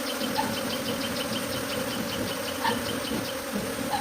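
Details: A dense, steady hum of many honey bees buzzing together as a swarm moves from its hive to a tree.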